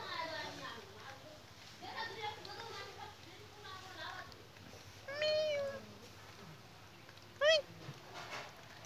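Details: Village cat, one of two cats watching an 80-year-old woman eat before she feeds them rice. It gives one drawn-out, falling meow midway, then a short, sharp high cry. People talk in Bengali through the first seconds, with a steady low hum.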